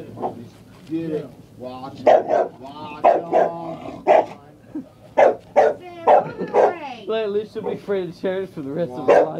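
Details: A scared female dog barks at a chair with irregular yapping barks, partly overlapped by a person's voice talking throughout.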